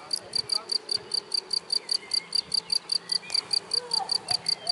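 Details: Cricket singing unseen in the grass: sharp, shrill chirps repeated evenly about four to five times a second, with a few faint whistly background sounds.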